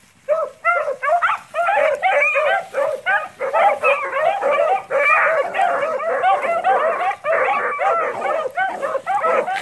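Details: Pack of beagles running cottontail and bluetail rabbits, voices overlapping into a continuous chorus of ringing, bell-like yelps and bawls with hardly a pause, several hounds calling at once.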